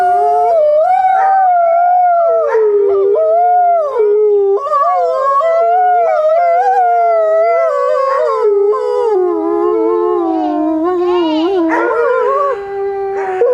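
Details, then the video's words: Captive wolves at Grodno Zoo howling together, multiple interweaving drawn-out howls rising and falling, some breaking into short yips near the end. "Волки воют в Гродненском зоопарке. Wolves howl at Grodno Zoo"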